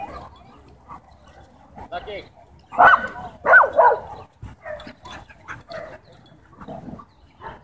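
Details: German Shepherd at a dog park, territorial and aggressive over toys, barking to demand the ball from its owner; a few loud barks near three to four seconds amid human speech and quieter yips.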